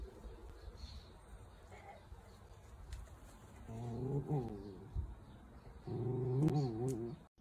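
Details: Pet Dachshund, a sausage dog, giving two drawn-out, wavering whines, the first near the middle and a louder, steadier one toward the end, over a quiet indoor background with faint rustling.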